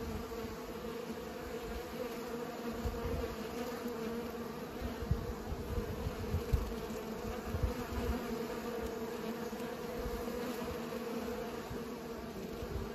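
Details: Steady droning hum of bees pollinating, a sustained low buzz with a fainter higher tone, accompanied by frequent low rumbles and a few soft knocks in the middle.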